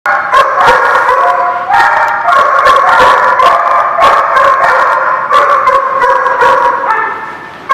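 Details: Many dogs barking together, recorded 21 October 2016; a loud, dense, unbroken chorus of overlapping barks and yips over sustained high howling tones.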